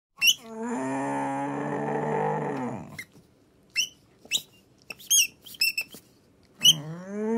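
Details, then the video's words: A male Samoyed puppy gives his first long, wavering awoo howl, prompted by a pizza toy, sagging at the end then rising again, likened to a sad rooster. "Samoyed Puppy Awoo and Howl for the First Time with Pizza Toy"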